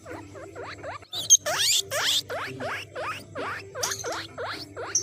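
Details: Guinea pig squeaking, said to call other guinea pigs: short swooping squeaks at first, then a loud shrill burst and a continued series of down-up squeaks, about three per second, over a soft low hum.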